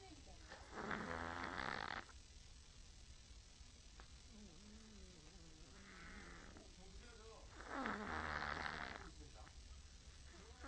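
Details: Tired-out pet Chihuahua Choco sleeping with open eyes gives two drawn-out, noisy snores about seven seconds apart, with soft human voices murmuring in the quiet gap between them.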